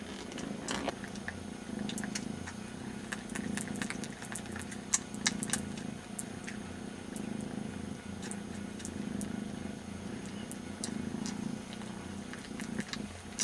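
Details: One of two very young kitten brothers licks the other's ear in place of its absent mother; long unbroken deep purr throbbing steadily, with scattered tongue clicks and a faint engine-like drone behind.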